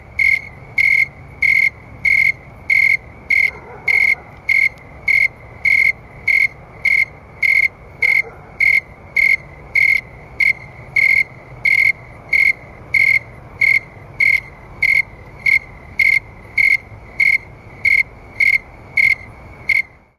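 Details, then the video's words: Snowy tree crickets singing outdoors around 9 PM on an August night in 2011 at about 70°F, a clear high chirp pulse repeated steadily roughly every 0.7 seconds, about 100 times a minute, with faint low background hum. "Cricket Sound and Video (Snowy Tree Crickets)"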